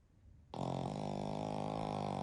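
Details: Deeply asleep during a family nap, a flat-nosed Pekingese x Shih Tzu mix (household of Shiro, Shii and Shiiyu) lets out a sudden, sustained, rough rattling snore that starts after a brief silence and continues to the end.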